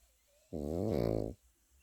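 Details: A Pekingese puppy snores in its sleep: one rasping, rattling breath just under a second long, low and richly layered, fluttering rapidly toward the end, then quiet.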